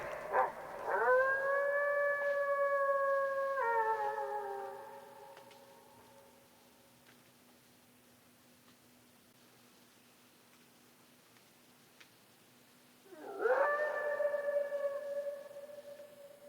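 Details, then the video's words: Gray wolves in Algonquin Provincial Park, Ontario, give long, mournful howls in the forest that scoop up at the start, then hold a steady pitch, with loons calling on the water. "loons on the water and the wolves howling in the forest."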